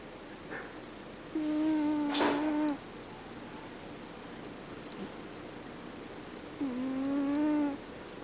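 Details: Romeo, a pet cat, snoring: two long, steady, tonal, nasal snores of about one and a half seconds each, rich in overtones, separated by several seconds of quiet breathing, with a brief rustling burst during the first.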